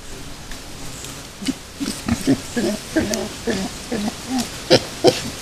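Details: Wild boar with piglets at Yaremovskiy Nature Reserve, 17 July 2017: after a quiet start, a steady run of short, low, harmonic grunts, several per second, with a couple of sharper, louder grunts near the end and faint rustling throughout.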